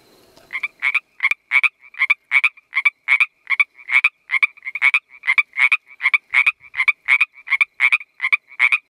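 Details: A male Northern Pacific treefrog gives its mating call: a steady series of quick, two-part ribbit notes, about two each second.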